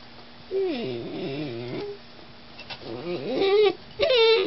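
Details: Vocal German Shorthaired Pointer puppy whining in bending, wavering tones: a long moaning whine dipping and rising, a pause, then two sharper, higher whimpers that climb and hold, over a faint steady hum.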